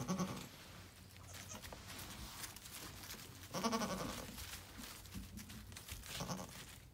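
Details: Two-day-old twin Nigerian Dwarf goat kids, bouncy and happy, give short, wavering bleats at irregular intervals.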